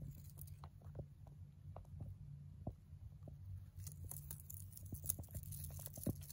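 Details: Lucky, a male mini rabbit born on November 3, 2020, eating hay indoors: crisp crunching and tearing clicks in irregular bursts, busiest toward the end, over a steady low hum.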